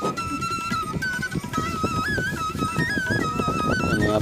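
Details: Lively folk music with a wavering flute-like melody over fast, busy percussion and strings fills the whole stretch.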